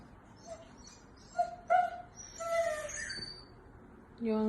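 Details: Pet Siberian Husky in the United States speaking his mind while being asked about going outside: short tonal whines and woo-like vocal bursts come in separate pulses, with faint high bird chirps behind and a voice at the end.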